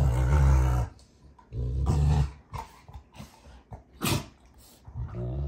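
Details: Rottweilers June and Kenai wrestling in play on their ranch: a long, low growl opens, followed by shorter gruff rumbles and scattered scuffling noises.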